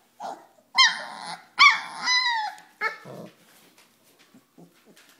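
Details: Pyrenean Mastiff puppies, four weeks old, playing together: a few loud, high, harmonic yips and barks in the first three seconds, then quieter scattered squeaks and soft sounds.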